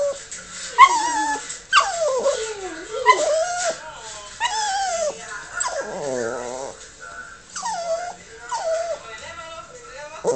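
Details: A female Yorkshire Terrier "answers" other dogs in YouTube videos on a monitor with high, sliding whines and yelps, rising and falling in uneven bursts.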